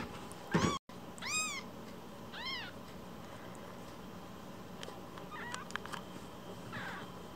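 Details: One-week-old rescued kitten, umbilical cord still attached, being fostered: thin high arched mews, about four in the first three seconds, then softer scattered squeaks and clicks over steady low hum.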